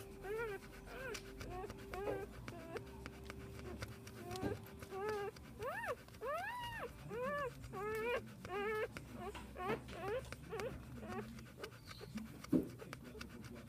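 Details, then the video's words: Newborn Pit Bull puppies, one day old, from a litter of ten born 7 December 2014; many overlapping high arched whines and squeals repeat through the recording, with a steady low hum beneath and one sharp knock near the end. "Cachorros PITBULL 1 día de nacidos."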